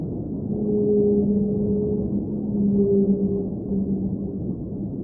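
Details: Underwater whale singing: two long, level tonal moans held together, a higher and a lower note sustained for about two seconds, pausing and then returning, over a steady deep rumble.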